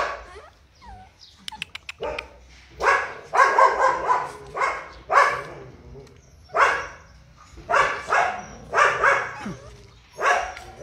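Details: Purebred Rottweiler of a large bloodline giving a run of loud, harsh barks, about nine across the stretch, some doubled, after a few sharp clicks at the start.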